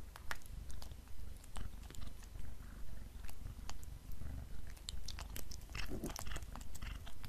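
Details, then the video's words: Pet black cat purring while eating beef snacks. A deep rhythmic rumble pulses roughly twice per second beneath frequent crisp bites and wet chewing clicks. "Black Cat Eating Beef Snacks"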